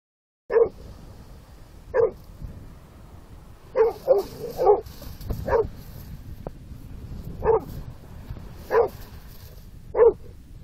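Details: Bullmastiff barking at the sea, recorded on an Android phone: short deep barks repeated irregularly about every one to two seconds over steady surf and wind noise.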